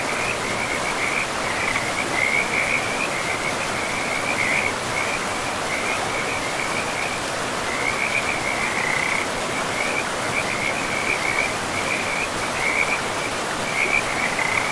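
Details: Frog chorus by a river deep in a pristine, moss-covered forest: repeated short trills of rapid croaks follow one another without letup, carried over the continuous wash of the flowing river.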